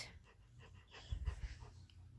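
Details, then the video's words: Five-month-old female Rottweiler puppy throwing a temper tantrum, angry at her owner. Low, rumbling grumbles pulse in a quick burst through the middle, with breathy huffs before and after. "Rottweiler Puppy Temper Tantrum!!!"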